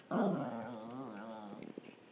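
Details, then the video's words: Maltese dog growling while playing fetch indoors: a low, steady rumbling growl with wavering harmonics, loud at onset and fading over two seconds, ending in faint clicks. "Maltese Dog Makes Funny Noises"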